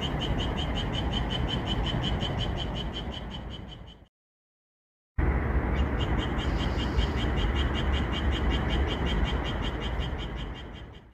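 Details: Japanese tree frogs singing at night under calm moonlight in a red pepper field, edited so they call more: fast rasping pulses about four per second, bright and steady, broken by a sudden edited silence of about one second, then resuming.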